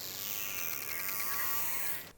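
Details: Killer whale pulsed call recorded underwater by hydrophone at sea: clicks following so rapidly they merge into a buzzy, harmonic communicative tone that slowly rises and bends.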